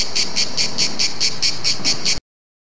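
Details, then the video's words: Cicada song at Bordighera, Italy: a loud, harsh buzz pulsing regularly about four to five times per second for two seconds, then cut off abruptly, over faint low background noise. "il canto delle cicale"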